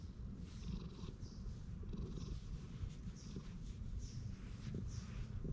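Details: Purring of a park stray cat as it is repeatedly patted and stroked, captured with a GoPro HERO8; a dense, continuous low vibrating rumble fills the clip, with faint brushing sounds above.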